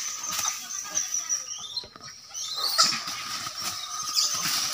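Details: Fighting monkeys, angry: a dense run of raspy, noisy screeches and short squeals, with a brief dip near the middle before the harsh calling picks up again.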